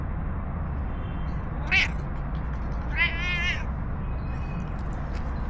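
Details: A stray cat in a park in Istanbul, Turkey, being petted, following to a bench and snuggling up, gives a short high meow then a longer wavering, rising-and-falling meow over low steady background rumble.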